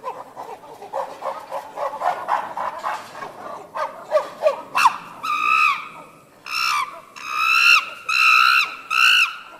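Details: Chimpanzees at Tama Zoological Park, Japan, screaming as they return to their sleeping quarters: a run of rough, choppy hoots builds into loud, piercing harmonic screams, several long shrieks repeated close together.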